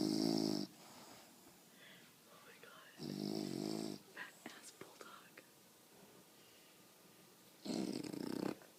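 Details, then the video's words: Sleeping female bulldog indoors gives loud, harsh snores, rough rattling inhalations at the start, middle and end, separated by quiet pauses with soft human talk and small clicks. "Snoring Bulldog"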